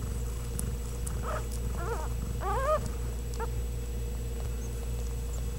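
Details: Ragdoll kittens, born and raised in a home cattery in central Kansas without cages, give several thin, rising-and-falling mews in quick succession over a steady low hum.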